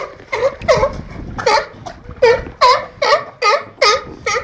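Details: Sea lions at the National Seal Sanctuary in Cornwall on 24 March 2010, a group of two Patagonian and one Californian sea lion: a loud series of about nine harsh, harmonic barks, each with a bent, wavering tone, repeated roughly twice a second.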